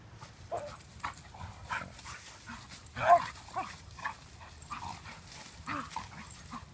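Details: Standard Poodles Gaby, six months, and Count, about six, fight in a clearing in the woods of Louisville, Kentucky, recorded by an iPhone in a pocket; sharp yips and whining growls come in bursts, loudest near the middle, over rustling.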